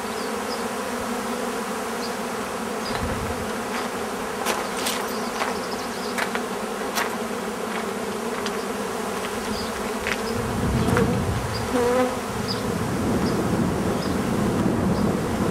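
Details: Bees buzzing in a steady droning hum with a band around the low-mid register, occasional clicks and taps, the hum thickening and growing louder in the last third.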